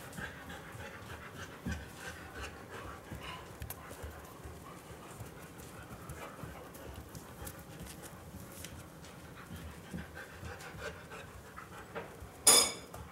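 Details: Two Siberian Huskies, a chocolate-and-white male born 2010 and a red-and-white female born 2013, eagerly wait for dinner; one pants rapidly while begging for food, ending with a sharp louder burst.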